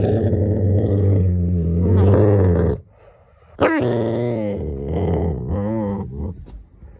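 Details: A male Rottweiler growls deep and rumbling, with a brief sharp yelp in the middle, while being told not to bite its owner's hand.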